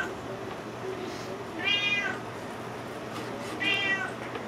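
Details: Cat meowing for salmon while it is being cut up indoors: two short meows about two seconds apart, faint under kitchen noise and a steady low hum.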